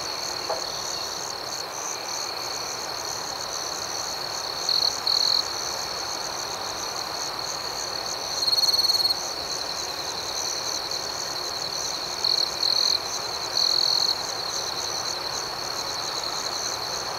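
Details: Crickets calling through the night in an unbroken high-pitched drone with rapid pulsing chirps, broken by several short louder bursts, with a faint click near the start.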